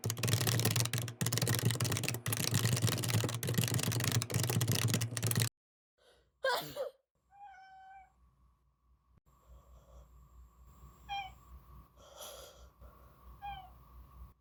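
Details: Pet cat Gaeul answering its owner's sneeze with small, short cries: loud sneezing and sniffling noise first, then a few faint, brief meows amid household sounds.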